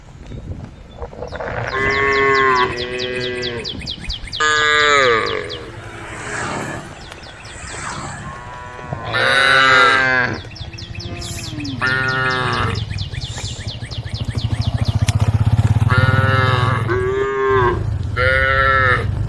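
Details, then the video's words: Tame cows standing on a road calling to the herd: a run of overlapping, harmonic moos, some short and rising, others drawn out, with low rumbling noise building in the later part. "the sound of cows calling the herd"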